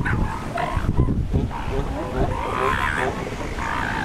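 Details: Male elephant seal at the San Simeon breeding grounds in February 2021, mating and trying to chase away other males; deep, rough, throbbing low rumbles with pulsed bursts, over a steady noisy background.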